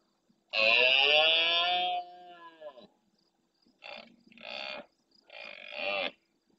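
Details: Large male red deer roaring intensely at nightfall near the camera in the Doñana National Park marsh at El Rocío, Almonte, Huelva, Spain, answering distant males: one long hoarse bellow, then three shorter rasping roars in quick succession.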